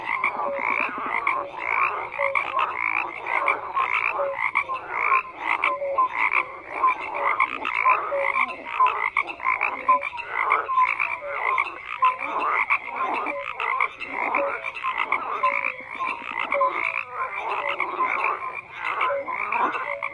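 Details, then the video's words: Many frogs croaking together in a dense, continuous chorus, overlapping pulsed croaks and short nasal notes layered across twenty seconds, with steady rhythmic trilling throughout and no other sounds standing out. "FROGS CROAKING"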